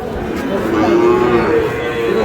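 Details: Sahiwal cattle at a cattle market where a Barishal farmer buys Sahiwal bulls and heifer calves, Bangladesh, 19 August: one sustained, level, harmonic moo lasting most of two seconds over crowd murmur.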